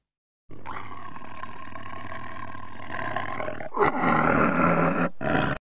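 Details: Tiger roaring: a long, rough, rumbling roar lasting about three seconds, followed by a louder, harsher snarling roar and a final short burst, all deep and raspy with no other sounds.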